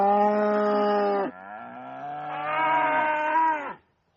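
A cow gives a long, loud, harmonic moo that shifts pitch partway and fades at the end.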